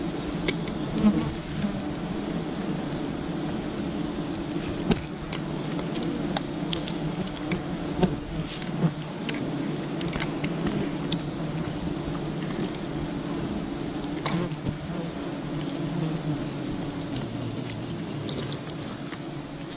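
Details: Swarming bees from a wild colony during honey hunting, an unbroken low hum with layered buzzing tones held throughout, dotted with frequent clicks, taps and small knocks.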